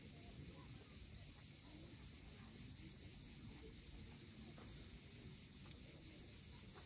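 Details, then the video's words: At sunset on Cape Fiolent's steep shoreline in Crimea, cicadas keep up a constant, even, high sizzling buzz, while a low surf murmur runs beneath and faint chirps from other birds. "Cicadas at sunset."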